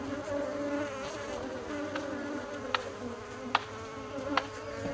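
Many bees hum together in a steady, droning buzz.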